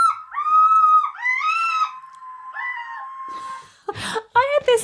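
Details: A red fox, described as its mating call, gives three drawn-out, harsh, wavering screams in about three seconds, like a child shrieking; laughter and voices follow.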